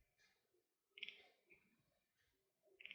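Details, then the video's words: A domestic cat, watching birds such as jackdaws, pigeons and magpies it cannot reach, chatters in short bursts of rapid, high clicking chirps lasting a fraction of a second, with quiet gaps between. "Chirping & Chattering At Birds - Funny Cat Sounds"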